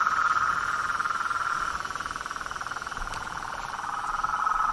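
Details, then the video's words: Toads, frogs and treefrogs calling in nature: a dense, steady pulsed trilling chorus, fast and continuous for the whole stretch, with a faint thin high tone running above it. "Os sons dos sapos , rãs e perereca na Natureza"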